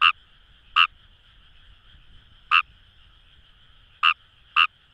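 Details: Kawamura's rice frog calling in paddy fields along the Kamo River, Itoshima, Fukuoka, Japan: five short, sharp croaks at uneven spacing over a steady, continuous hum of a distant frog chorus.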